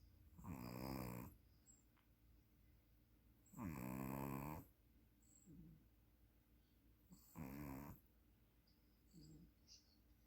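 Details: Snoring from a sleeping puppy: three loud raspy snores about three to four seconds apart, the middle one longest, with faint short breaths between them.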